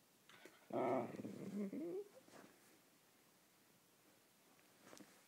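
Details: A chatty whippet pesters an Italian greyhound with one drawn-out, wavering, harmonic grumble-whine lasting over a second and ending in a rising squeaky inflection. Quiet room tone follows.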